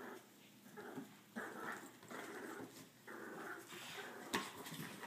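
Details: Two French Bulldogs, one of them brindle, growl in rough, rumbling bursts during a playful tug-of-war.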